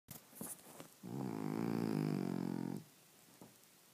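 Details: Sleeping French Bulldog snoring: one long, loud, rattling buzzy snore of nearly two seconds swells then stops abruptly, with softer snuffling breaths before and after.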